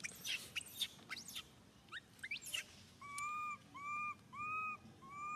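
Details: Pitiful cries from baby monkey SUCA, grabbed by Susan: sharp clicks and scuffling first, then four steady, slightly arched wails in quick succession, each about half a second long.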